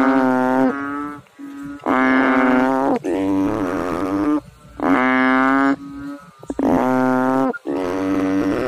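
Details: A chorus of frogs in water, with deep, reedy, droning calls following each other almost without pause and several callers overlapping.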